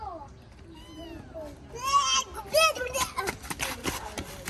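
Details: Abandoned baby kitten being fed its first safe meal, giving a few high, arched meows with rich overtones, a longer one followed by a shorter one, amid Vietnamese speech and clattering background noise.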